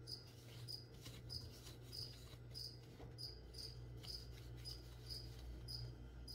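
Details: Cricket in a room during plant spraying, chirping in brief sharp pulses about 97 times a minute over a droning low hum and faint background rustles.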